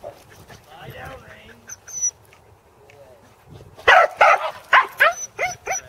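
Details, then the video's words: Corgi during a second sheep-herding attempt at an Arlington farm, 27 March 2011; faint murmuring voices first, then a quick volley of loud barks with rising yips in the final two seconds. "Royston Corgi - Herding Sheep"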